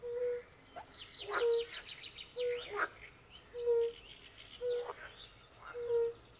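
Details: European fire-bellied toads calling by a forest pond: short soft mellow notes, each held under half a second and repeated about once a second, while pool frogs add rough rattling bursts and chirping trills over them.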